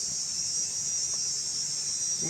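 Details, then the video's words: Crickets give a steady, high-pitched shrill chorus running unbroken, with faint low murmurs beneath and occasional peacock calls, in the morning at a homestay near Sigiriya, Sri Lanka. "ঝিঝি পোকার ডাক শুনতে পাচ্ছেন, মাঝে মাঝে ময়ূরের ডাকও রয়েছে তার সাথে।"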